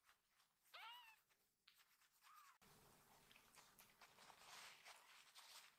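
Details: Rescued baby kitten indoors, part of a litter rushing happily to greet their caretaker; two short rising-falling mews a second or so apart, then steady rustling and handling noise.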